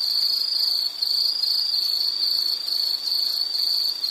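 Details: A high, piercing insect trill runs steadily with short breaks near one and three seconds, otherwise unbroken.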